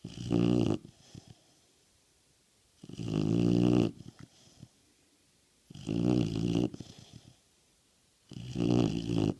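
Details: Snoring from Nixie, an American Bulldog: four deep, rattling snores each lasting about a second, spaced roughly every two and a half to three seconds with quiet breathing between, indoors.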